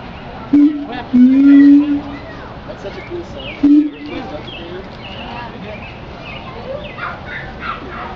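A siamang gives loud, steady hooting notes, one long held tone among shorter ones, with faint chirps behind.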